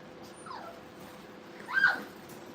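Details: Brittany puppies at play in a training kennel: a faint, sliding, falling whine, then a brighter high whimper near the end, over a low steady room hum.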